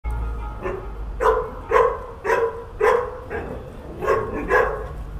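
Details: Barking from seven dogs left abandoned for months on a house roof in H'Attard, Malta. Sharp, harmonic barks come in uneven pairs and short runs, roughly two per second, over a low background rumble.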